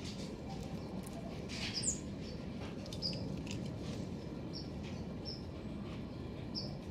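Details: Black-tufted marmosets (Callithrix penicillata) in a garden give brief, very high-pitched chirps and squeaks over a steady low outdoor rumble.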